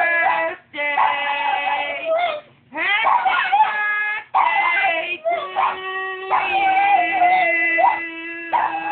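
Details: Boston Terrier named Little Man, who howls along whenever someone sings to him, joining a Happy Birthday song: drawn-out, wavering howls rich in overtones, some sliding upward, broken by brief pauses, with human voices underneath.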